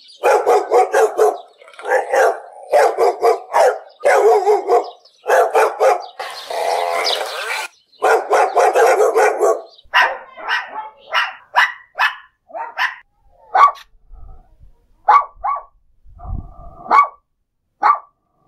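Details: Steady volleys of sharp barks from a dog, repeated roughly twice a second at first with a noisy scratchy stretch in the middle, then thinning into scattered single barks and a low thump near the end.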